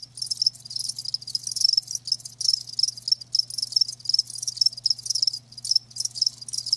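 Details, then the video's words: Chorus of live crickets giving continuous bright, high chirps in quick overlapping bursts, near-constant trilling with short gaps, over a faint steady low hum. "Live Crickets 60min "Natural Sound""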